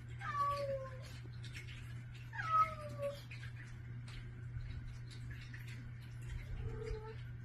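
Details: Several domestic cats meowing for food in the morning at a bedroom door, greeting the person who feeds them; drawn-out falling meows, two close together then a softer one, over a steady low hum.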